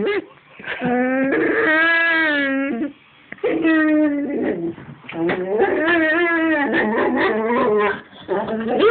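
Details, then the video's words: Dog giving long, wavering howl-like vocal sounds indoors in a small room, drawn-out rising and falling tones in several bursts separated by brief pauses, almost voice-like, with a human voice praising nearby. "My dog says what?"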